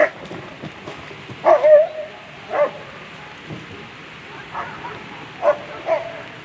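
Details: German Shepherd Apollo van de Wolferskroon at the World Championship Agility: a few sharp barks with a clear tonal ring, spaced irregularly over several seconds against a hissy background.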